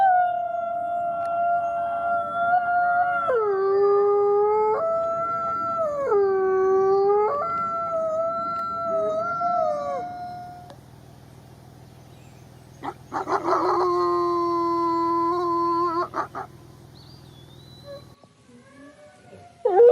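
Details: Several wolves howling together in overlapping, wavering tones that rise and fall for about ten seconds. A low hum follows, then a single strong level howl and a few faint sounds near the end.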